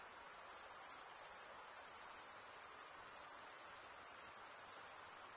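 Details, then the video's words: Crickets stridulating, males rubbing one wing across the toothed vein of the other; a dense, steady high-pitched trill with fine rapid pulsing, unbroken throughout, no other sounds. "Most relaxing cricket sound for 8 hours"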